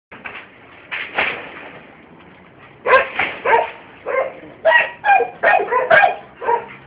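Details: Scottish Terrier barking in short, sharp, high-pitched yaps, first a few spaced out, then a quick irregular run of about eight barks in the last four seconds.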